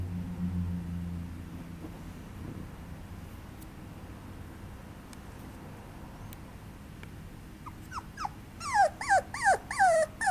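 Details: Papillon puppy whining: after a stretch of quiet room noise, a rapid run of high, clear, harmonic whines, each sliding downward, repeated about twice a second near the end.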